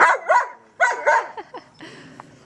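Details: German Shepherd dog playing with a trolley, barking in two quick pairs of sharp barks within about a second, then fading into softer short yips and faint rustling.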